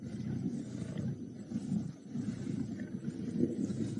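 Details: Lions of the Nkuhuma Pride growl in deep, rough, continuous rumbles in the afternoon or evening, squabbling over the scarce remains of a buffalo carcass at Djuma Game Reserve, South Africa, 13 March 2018.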